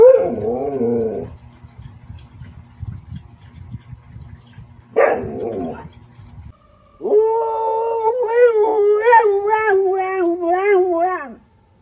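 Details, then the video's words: Siberian Husky giving two short yowls, then a long steady howl of about four seconds that wavers slightly before fading out. "Tunog ng SIBERIAN HUSKY | Sound of SIBERIAN HUSKY"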